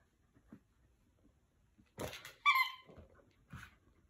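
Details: Jack Russell Terrier playing indoors, giving one short, high, whining yelp with a bright tonal edge, framed by soft rustling before it and a quieter muffled sound after, in a small quiet room.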